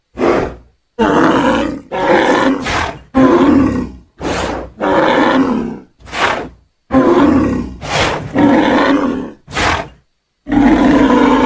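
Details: Angry bull bellowing in a pasture: a long sequence of loud, harsh, roaring calls, each about a second long, delivered in rapid bursts separated by short breaths.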